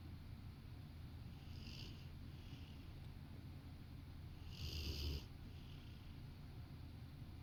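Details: A Rottweiler napping on a sofa beside its owner snores with low, rumbling breaths and one louder, raspy snort near the end.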